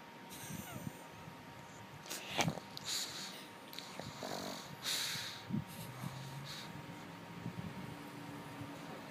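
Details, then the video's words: Lulu the dog snoring indoors: a run of breathy, snorting bursts with rough rasping inhales, uneven in spacing and loudness, over a steady electrical hum. "Lulu snoring like a dude"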